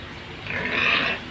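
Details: Pig squeal from a short, low sow's pen: one drawn-out, high, strained cry swelling for about half a second, then fading, against steady low background noise.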